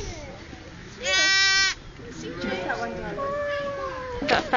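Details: Bleating of a new-born twin lamb learning to walk: a single sharp, buzzy, harmonic-rich bleat near the start, then quieter people chatting and a brief clatter at the end.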